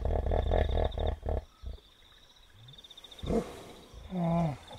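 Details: A wild hippopotamus at night by a river in Kafue National Park, Zambia, gives a rapid series of deep, pulsing grunts, with steady insect trilling behind.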